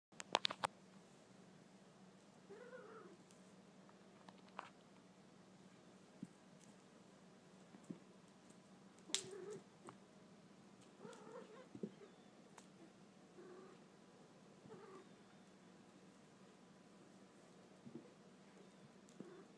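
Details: Peggy, a disabled kitten adopted from the SPCA with a permanently bent right front paw, playing with a feather toy indoors; soft, short chirping mews scattered through the clip with sharp thumps and rustles from play.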